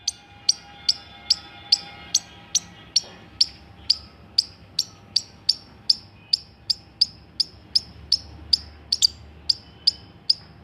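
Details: Indian palm squirrel chirping steadily: about two dozen short, piercing, very high chips, each with a brief falling tail, repeated roughly every half second for the whole stretch, over a faint steady tone and low background rumble.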